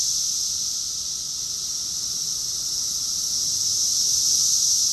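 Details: June 2021 summer chorus of cicadas in Rockville, Maryland, USA, a constant hissing, shrill buzz of many insects blended together, nearly level in loudness with a slight rise at the close.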